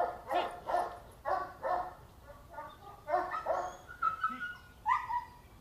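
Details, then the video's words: Two-and-a-half-year-old female Boxer in training for obedience and socialisation, previously described as unrestrained and reacting strongly to events around her; a run of sharp, repeated barks and yips, with a couple of higher whining notes near the end. "Kutyakiképzés boxer"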